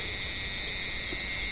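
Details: Cicadas calling from an olive tree on a warm evening: a steady, unbroken high-pitched buzzing drone with no pauses, holding level throughout, while blind cats climb the branches hunting them.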